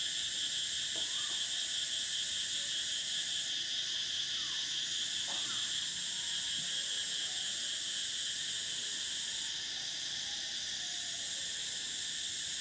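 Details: Cicadas singing in summer: a steady, unbroken high-pitched drone made of several layered buzzing bands that holds at an even loudness throughout, with a few faint, brief sliding notes lower down in the background.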